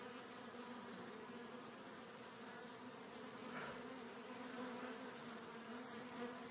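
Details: Western honey bee (Apis mellifera), wing buzz.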